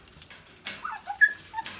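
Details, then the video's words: Seven- or eight-month-old female puppy, mostly crate trained, whining in her crate: a few short, thin, high whimpers in quick succession, faint room noise around them. "crate training when your older puppy/dog still whines"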